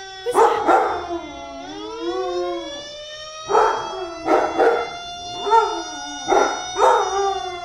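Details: Two-year-old Lab/Chow mix named Achilles howls whenever a fire truck passes; a long drawn howl bends up and falls, then short yodelling howl bursts repeat about every second against a continuous, slowly falling siren wail.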